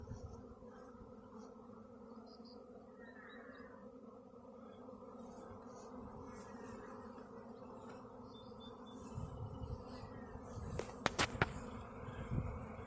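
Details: Honey bee swarm flying everywhere around a back yard before settling in a cedar tree; a steady low droning hum of many wings with a few bees passing close, some clicks near the end.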